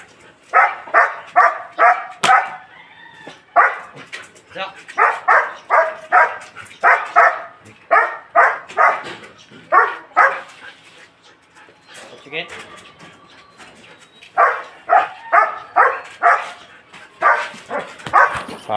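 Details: Belgian Malinois barking steadily and rapidly, strings of loud clipped barks about two per second, broken by a short lull; human speech is audible between the barks.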